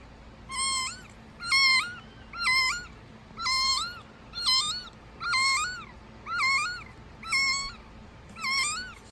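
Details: Rescued kitten barely a week old crying for milk, 2019: steady run of loud, piercing meows nearly every second, each rising then dipping in pitch, insistent and regular, no other sounds.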